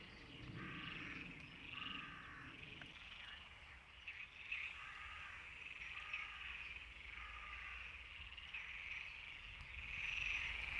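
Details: European tree frogs (Hyla arborea) in chorus, several calling over one another with rapid, rasping bursts of clicks as advertisement calls.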